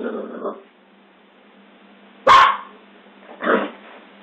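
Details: Scottish Terrier barking: two sharp, loud barks, the first near the middle and the second about a second later, over a faint steady background hum.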